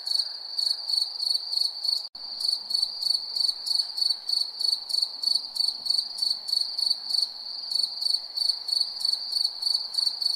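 Crickets give a continuous high, ringing chirp made of short pulsed bursts, roughly three each second. A soft background hum sits beneath the insects' even rhythm.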